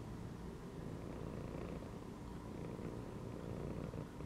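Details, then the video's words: Domestic cat chilling inside a gym belt, purring as a dense, low, unbroken rumble throughout, close and steady. "CAT CHILLING PURRING AND MEOWING INSIDE THE GYM BELT"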